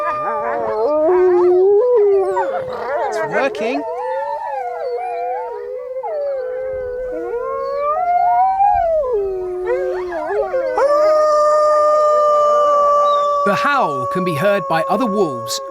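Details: Chorus of wolves howling in a wildlife documentary, many overlapping wavering tones and yips shifting in pitch, later a long steady held howl, with a voice talking over parts of it.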